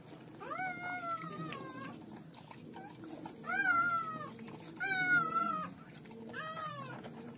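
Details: German Shepherd puppies at birth give long, slightly falling nasal whines, four main cries spaced about one to two seconds apart, the middle two strongest, over a quiet indoor background.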